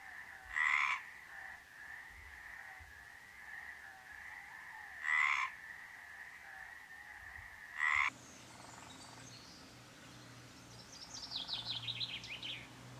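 A Mediterranean tree frog gives slow, harsh croaks, spaced several seconds apart.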